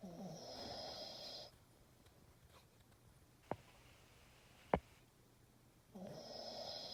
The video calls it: Dog snoring sound